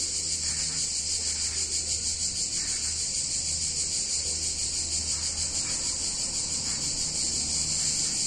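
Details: Cicadas singing on a hot summer day in a picturesque Italian town: a dense, steady, high-pitched buzzing chorus with a gentle rapid pulsing throughout, over a faint low hum in the background.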